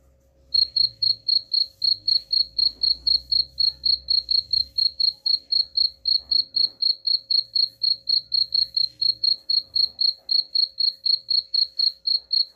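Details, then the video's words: Rapid regular cricket chirping at a high pitch, about four pulses each second, offered as a rat deterrent; low rumbling background noise sits under the first half. "suara jangkrik pengusir tikus ampuh"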